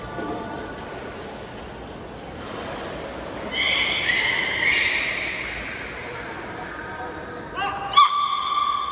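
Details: Aquarium belugas, the whole group joining training at Port of Nagoya Public Aquarium, Japan, 16 November 2024. Thin high steady whistle tones recur, then a layered harmonic call mid-clip and another sharp harmonic burst near the end.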